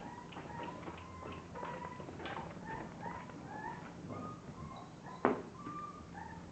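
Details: A litter of English bulldog puppies making soft, overlapping squeaky whimpers, short rising and falling tonal cries from several pups, with a sharp knock near the end and a faint steady hum behind.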